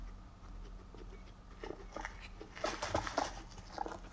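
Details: Moru-chan, a female Abyssinian guinea pig born 29 November 2017 and kept as a pet in an apartment, lets soft 'po' squeaks slip out as she walks. Several short tonal squeaks come in the second half over faint rustling and footsteps.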